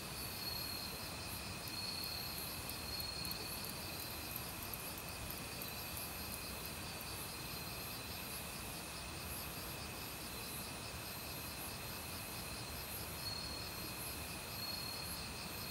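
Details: Forest crickets in autumn singing alongside various other insects near a valley stream: rapid, evenly pulsed high chirping and a constant ringing drone over the broad hiss of flowing water.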